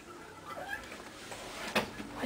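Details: Playful female house cat rolling around indoors, giving soft, short, faint meow-like sounds; a woman's voice talks nearby.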